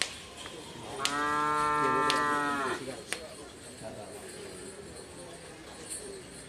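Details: Madura cattle at a karapan sapi bull race training session on the Asemanis field, Madura island, East Java, Indonesia: one long, even, rich-toned moo lasting nearly two seconds mid-clip, with murmuring people and occasional sharp cracks around it.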